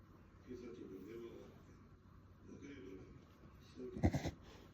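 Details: A corgi gives repeated honking, snorting gasps, which the owner looked up and believes is a reverse sneeze, ending in a sharper burst.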